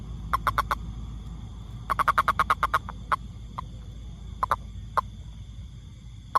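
A toad gives short, clipped croaking notes, some in quick runs, others spaced singly.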